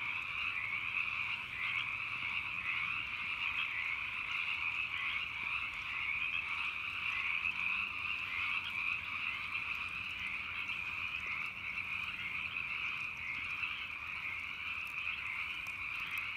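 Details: Hundreds of frogs croak at night in a dense chorus, countless overlapping croaks merging into a steady, shimmering drone.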